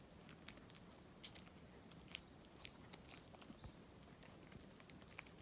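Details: Walt, a dog, eating treats for a Golden Week challenge chewing session: soft, crunchy clicks and bites come irregularly over a quiet, steady background hiss.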